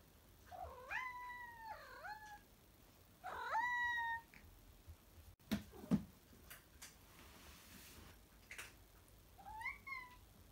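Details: Having wolfed down his own lunch, a male cat meows impatiently while another cat keeps eating, wanting to go play. Short bending meows dip and rise, come in pairs and then singly, with clattering and thumping sounds in between.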